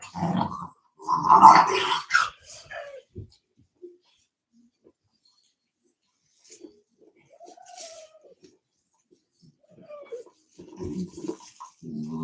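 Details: Cane Corso (Italian Mastiff) from a breeder's pack west of Nashville, Tennessee: a loud, rough bark burst early on, then quiet soft whines and, near the end, low grumbling growls in an indoor room.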